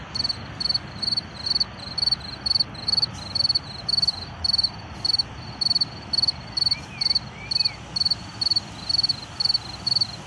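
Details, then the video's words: An unseen field cricket among wildflowers chirps steadily, giving short pulsed trills about twice a second. Background car traffic, wind noise and a bird call are also heard. "Tücsök Ciripel és Vadvirágok/ Field Cricket Chirping and Wildflowers"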